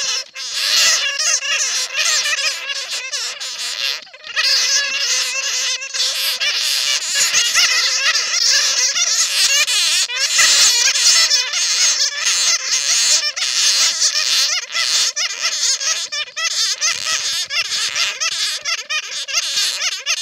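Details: Bat lure recording made from bats caught in a net: a long, continuous mass of shrill chattering and squealing with many callers at once, swelling and dipping slightly, and a brief lull near the start.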